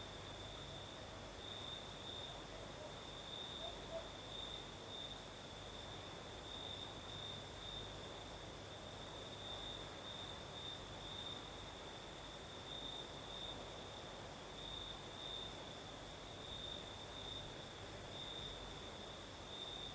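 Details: Crimean crickets at night in the south, with a night breeze: a continuous high trill repeatedly swells into brief pulsed bursts every second or two, a faint higher hiss overhead and a gentle low wind rumble below.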